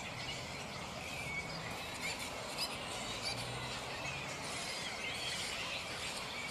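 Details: Restless black flying foxes (Pteropus alecto) in a mid-morning roost: a thick chorus of piercing squeals and scratchy chatter, with a few sharper shrieks standing out over the steady colony din.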